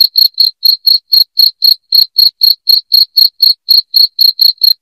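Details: Shrill cricket chirps used as a rat deterrent at home, a rapid regular series of brief high notes, around twenty in five seconds, each crisp and separated by quiet gaps.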